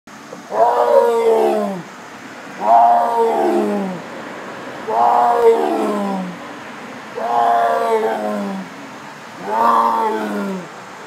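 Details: Tiger at a zoo giving five deep, moaning roars about two seconds apart, each a drawn-out falling groan rich in low harmonics, over a faint steady background hiss.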